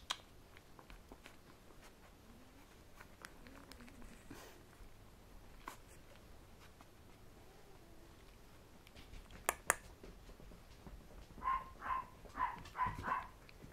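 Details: Red male Poodle puppy that has just learned to toddle, giving a short run of five or six high, tonal yelping whimpers near the end, after a stretch of soft tapping and scuffling sounds.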